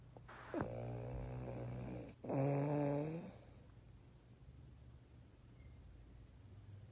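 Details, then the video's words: A French Bulldog sleeping with its eyes open snores in two long, rough, rattling breaths, then goes quiet. "Snoring French Bulldog with eyes open"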